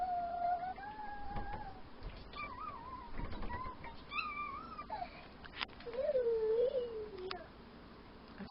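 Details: Seven-week-old Miniature Pinscher puppy playing with his lamb toy in his bed, giving thin, wavering whines and squeaks that rise and fall, some drawn out over a second, with a woman speaking softly and a quiet indoor background.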